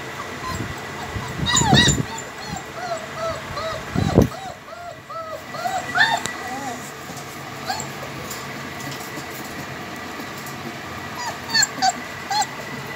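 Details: Home-bred heavy-bone, double-coat German Shepherd puppies whimpering: many short arched whines, rising then falling, overlap throughout. Two loud thumps sound near the start, with steady background hum and occasional voices.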